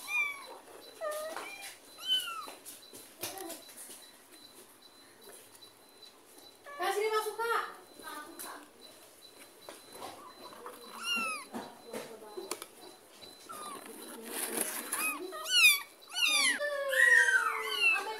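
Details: A kitten received from a neighbour is carried home with its mother cat following, then taken back to the neighbour's yard; after a quieter start, rapid high, arching meows pile up, with people talking in the background.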